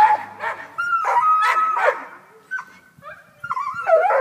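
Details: Up a tree after a cat, the neighbor's Black and Tan Coonhound Tucker bays in a strained, whining voice: a long drawn note, then shorter yelping calls after a quiet break.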